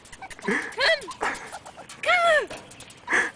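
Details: Yorkshire terrier trying to climb back up while being coaxed: several high, arching whimpers and whines rising then falling, mixed with a person's voice calling to it.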